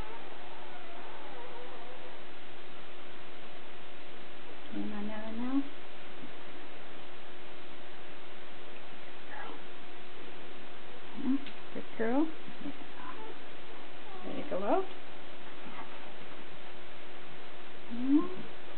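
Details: Nine-day-old Border Collie puppies from Nell and Skeet's litter, born March 3, 2016 at Wall 2 Wall Border Collies in Cartwright, Manitoba, recorded indoors on March 12, 2016; scattered short rising squeals and whimpers with quiet gaps over a steady hum.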